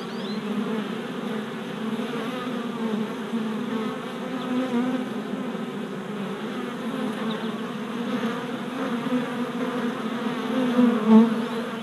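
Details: Orientation flights by worker honey bees at a freshly installed deep hive body, 27 April 2017, GoPro Hero Session 5: a thick, even buzzing chorus of many bees, a few louder passes near the end.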